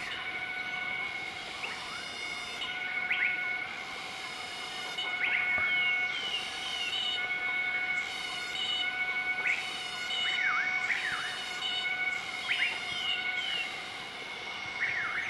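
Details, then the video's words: A group of southern white-cheeked gibbons (Nomascus siki) duet their morning call on 20 March 2014 in Nakai-Nam Theun National Protected Area, central-eastern Laos, with rising, swooping whoops over a steady insect drone. "Gibbon duet call in Nakai Nam Theun National Protected Area"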